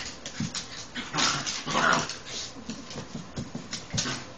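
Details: Ten-week-old Rat Terrier puppy Cara playing with older dog Sassy, her big sister/aunt; short scuffling whines and breathy yips in quick uneven bursts, one thin high whimper near the middle, with soft rustling throughout.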